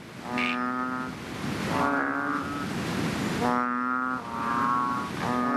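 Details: Chubby frog, also called ox frog, painted frog, bull frog or bubble frog, calling loudly in a fishpond just after rain; a series of deep, nasal, harmonic-rich drawn-out notes, each about a second long, repeated with short gaps.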